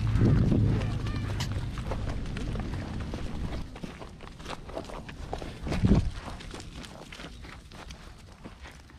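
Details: In Nara in November, a male deer gives low, groaning rutting calls to attract females and deter rivals, with shuffling footsteps and faint voices in the background.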